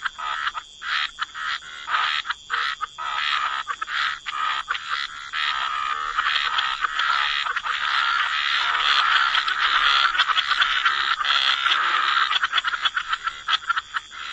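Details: Frogs croaking together by the waterside in a wetland setting, a dense overlapping chorus of rasping pulsed croaks, bursts early on merging into a continuous throbbing wall of sound, with a steady high hum in the background.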